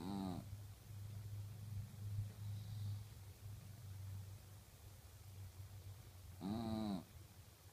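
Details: Ommy, a dog, snores loudly in a room with a steady low hum. Two whistling, harmonic snores stand out, one at the start and another about six seconds later, with softer breathing between them.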